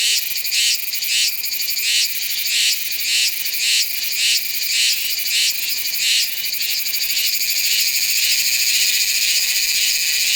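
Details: A Meimuna iwasakii cicada in Nanzhuang, Taiwan, in September, recorded on a Sony A7s3 with shotgun mic: quick rhythmic bursts of piercing buzz for six seconds, then merging into one sustained high, shimmering drone.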